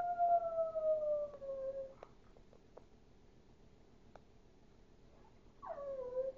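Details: Duke, a Chihuahua that howls like a wolf, gives a long drawn-out howl that slides slowly downward for about two seconds. After a quiet stretch with faint clicks, a second howl starts higher and quickly drops to a sustained tone.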